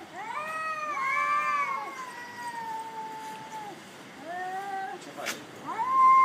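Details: Black cat on a cat island, fighting: long wavering howls with rich stacked harmonics, rising and falling, one drawn out over about three seconds, then shorter wails; faint human voice nearby.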